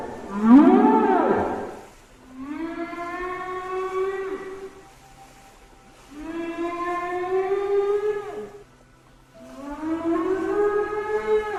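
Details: Migrating whales off the Libyan coast (Zueitina, Tripoli), heard on 19 December around 2:30–3 pm, give loud, long moaning calls that swell and fade, each lasting about two seconds, audible over great distances. Finding: whale.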